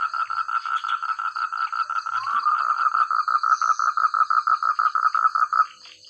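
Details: Rice-field frogs calling in unison in a rural area, a dense series of quick repeated croaks, several voices overlapping and rising in pitch briefly midway, ending abruptly with a quieter tail and a faint high whine behind.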